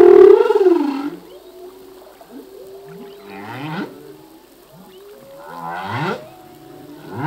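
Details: Male humpback whale singing at sea: a loud low moan sliding downward opens, followed by quieter gliding whoops and rising upsweeps spaced through the phrase, with a harsher burst of pulsed units near the end.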